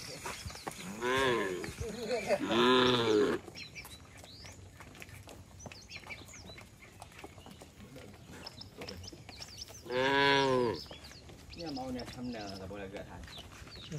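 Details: Tame cattle returning to the shed call to each other: two loud, arching moos near the start and another after a long quiet gap, then softer moos, with birds twittering throughout.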